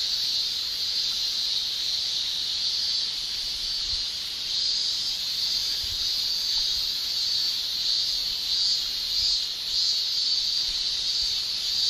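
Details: Male cicadas shrilling during summer in Japan by buckling their tymbals: a constant, high sizzling drone with faint uneven flutters, steady in volume, plus a few soft low thumps underneath.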